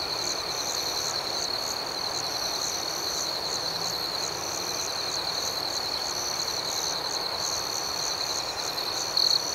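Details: Crickets chirping at night, a dense high-pitched chorus with a steady shimmering trill and rhythmic pulsing above it, one louder chirp rising briefly at the very end.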